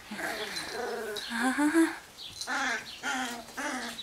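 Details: Wirehaired Pointing Griffon puppies playing and harassing each other: short squeaky whines and grunts in repeated bursts, with breathy scuffling between.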